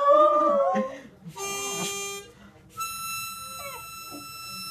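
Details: A beagle trying to sing along with a mouth organ gives a wavering, drawn-out howl, followed by steady harmonica chords.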